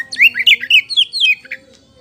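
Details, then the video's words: Oriental magpie-robin of the kacer poci type delivering a lure song: about seven loud, clear whistled phrases in quick succession, each sweeping down in pitch, ending abruptly. "SUARA PAMCINGAN KACER POCI GACOR BIKING NGEPLONG"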